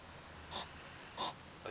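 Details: Two hedgehogs in a yard on a July 2009 evening huff in short, breathy puffs and snarl at each other. One is a young female, thought to be angry because her nest was approached.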